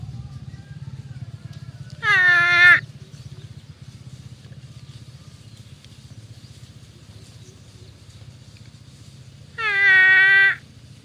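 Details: Water buffalo from a grazing herd giving loud nasal "uwwek" calls: two harmonic, slightly falling bellows of under a second each, about eight seconds apart, over a steady low rumble.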